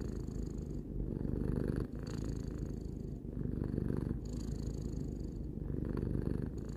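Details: Low, rattling purr of three-year-old house cat Tarou, rising and falling in slow rhythmic waves with brief dips between breaths, close and intimate.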